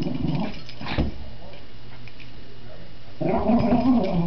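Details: Dog playing with a new toy indoors, a short low growl at the start, a quiet gap with faint rustling, then a louder rumbling growl with a wavering whine over it.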